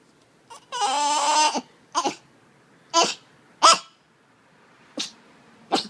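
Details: Nehbey, a dog making weird noises, gives a half-second harmonic whine that wavers slightly. It is followed by a string of short, breathy snorts or sniffs spaced roughly a second apart in a quiet room.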